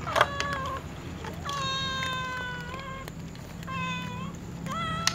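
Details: Several cats, including a tom and a white cat, meow repeatedly asking to be fed: about four tonal, slightly wavering meows, some long and steady, others short and rising, with small clicks and a low background hum.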